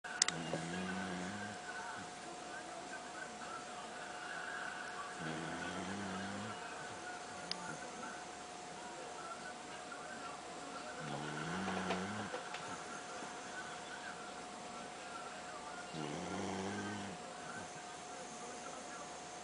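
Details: Pet dog snoring while asleep indoors, likened to a husband's snore: four slow, drawn-out harmonic rumbles spaced about five seconds apart over a steady faint hum.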